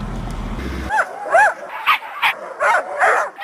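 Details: Siberian husky giving a run of short, high, arched yelps and whines, about six in quick succession, after a burst of music and laughter.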